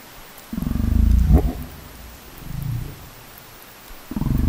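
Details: Humpback whale recorded by a hydrophone at 100 m depth near Folger Passage, producing strange burp-like grunts: a low rumbling grunt near one second, a shorter one around two and a half seconds, and another starting at the end.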